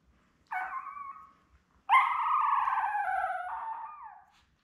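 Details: Newborn Labrador Retriever puppies, from a litter of seven born May 24, 2021, with their mother Belle on a live puppy cam on June 4. A short harmonic whine, then a longer, louder wavering cry, both mid-pitched and tonal.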